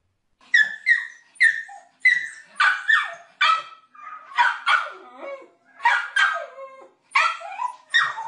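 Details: Small dog letting out high, excited yipping barks in rapid pairs and runs, some rising then dropping in pitch, nearly continuous through the stretch with brief pauses.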